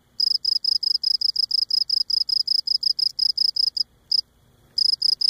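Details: Cape Cod cricket recorded close up as it sings: a fast, even run of high, ringing chirps, roughly five per second, then a lone chirp, a brief silence, and the chirping resumes.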